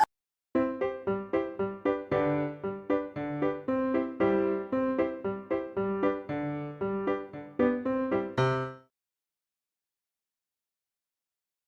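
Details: Bright piano melody of repeated chords that stops abruptly, followed by silence.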